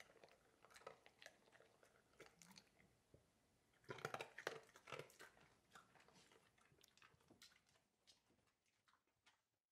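A Labrador Retriever crunching and chewing dry food, with sharp, uneven bites.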